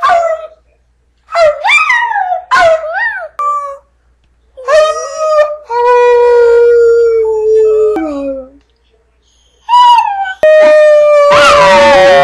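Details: Brindle Chihuahua, a pet at home, howling while trying to repeat "I love you": a run of short wavering, rising-falling yowls, then a long steady howl and more quick yips and drawn-out notes.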